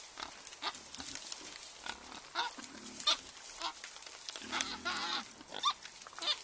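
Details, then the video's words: Wild boar group foraging, drinking and wallowing in mud at night: repeated low grunts and short squeals over wet splashing and squelching mud sounds. "Arrivée en fanfare des sangliers... images et sons de scènes de boue !"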